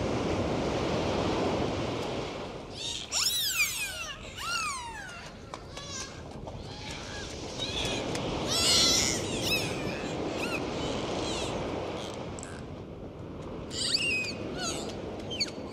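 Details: Dolphins recorded underwater on a dive, giving rising and falling whistles, some in quick looping series with bright overtones, in bursts around the third to fifth, eighth to tenth and fourteenth seconds over a steady hiss of water.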